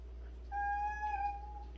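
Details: A cat in a household of 76 cats gives one long, steady, level meow lasting just over a second, clear and tonal with a low constant hum underneath.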